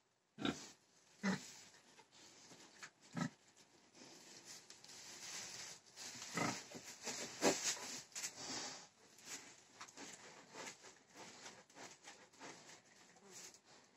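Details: Pig grunting in short bursts, a few louder snorts early on followed by a steadier stretch of low rough grunts and shuffling noise.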